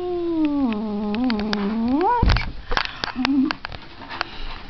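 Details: Cat's yowl that wavers and dips low, then sweeps sharply upward into a strained cry before breaking off; clattering knocks and a short low mew follow.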